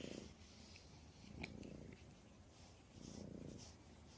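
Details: A pet cat purring with soft, rough pulses that swell and ease roughly every one and a half seconds, plus a faint click near the start of the second swell.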